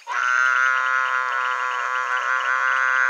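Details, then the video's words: Mueller's termite frog calling from a pond in the breeding season, with a couple laying eggs. A single long, unbroken, buzzy bleat starts abruptly and is sustained at an even, loud level for over three seconds, rich in harmonics. "TOAD COAXING IN THE POND (DERMATONOTUS MUELLERI) BREEDING SEASON"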